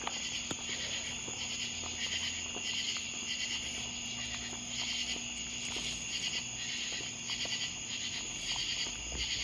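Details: Common true katydids (Pterophylla camellifolia) chorus loudly at night in rasping, pulsed bursts, repeating in quick rhythm over a steady insect drone.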